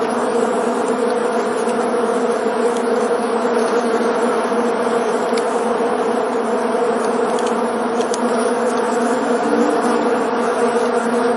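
Bees buzz steadily, a dense, droning hum that rises and falls slightly as they fly.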